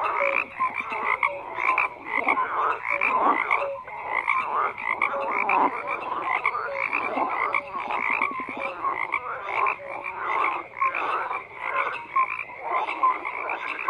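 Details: Massed frog croaking, a thick layered chorus of harsh pulsed croaks and scattered short tonal notes, with no pauses over the whole stretch.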